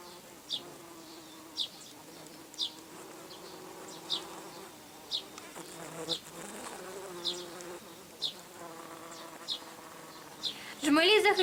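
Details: Red-tailed bumblebees at a dug-up ground nest, under attack by wasps and especially ants and defending themselves: a steady harmonic buzz with shifting pitch, sharp ticks about every second, and a louder burst of buzzing at the end.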